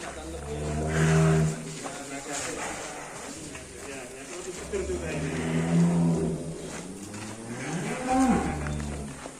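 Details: Large, heavy cattle being led out of their pen in Indonesia give deep, drawn-out moos with rich low harmonics. Three calls come at about one, six and eight seconds, with people talking and handling noise in the background.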